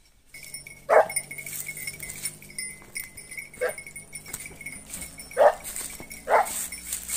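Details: Segugio Italiano hounds in hunting training on hare give four loud, short barks spaced one to three seconds apart, over a steady high-pitched droning background.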